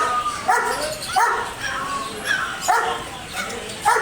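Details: Loud dog barks, single sharp bow-wow calls spaced about every half second to a second, each a short harsh burst with some whimpering tone between.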